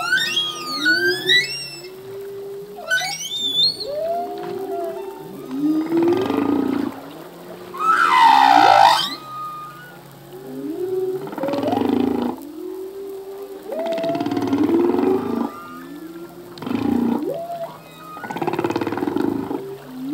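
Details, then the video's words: Male humpback whale pouring out song in the sea: high chirping upsweeps open the passage, then a run of low groaning moans and buzzy pulsed bursts every two to three seconds, with one piercing whining cry in the middle. "Whale song - full length humpback whale song"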